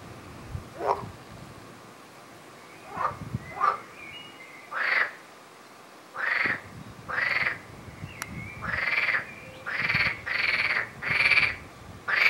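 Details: Frog giving a run of buzzy, pulsed croaks that starts sparse and faint, then grows louder and more frequent, with nearly one call per second toward the end, over a quiet background.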